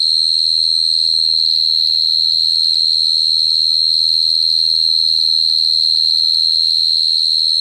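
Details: Cricket singing a steady, unbroken high-pitched trill that holds one even pitch with a faint higher overtone, over a soft low hum.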